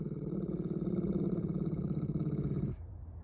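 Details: Fearful, defensive pit bull aggressive toward people and dogs, filmed early in behaviour rehabilitation: a steady low rumbling growl with rapid pulsing texture for nearly three seconds, then stopping abruptly into quiet room noise.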